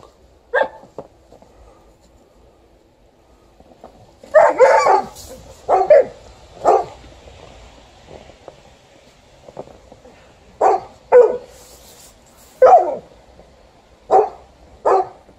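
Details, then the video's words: Alaskan Malamute objecting to snow removal, giving short sharp barks singly and in quick clusters, with pauses of one to two seconds between them and a louder burst of rapid barks near the middle. "Alaskan Malamute doesn't like the snow removal"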